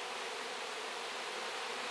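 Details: Many honey bees busily clearing away wax, with almost the whole upper layer already stripped off; a dense, steady, hissing buzz with no pauses, like a crowd of wings humming together.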